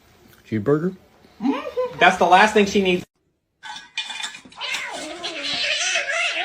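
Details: Domestic cat meowing in a funny cat compilation: a short meow, then a longer drawn-out wavering meow with rising and falling pitch, followed by a pause and noisy, rustling sounds with possible voices.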